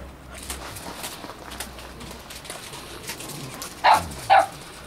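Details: Chow Chow, two months old, at a show in China; two short sharp barks near the end after a quiet stretch of faint background noise.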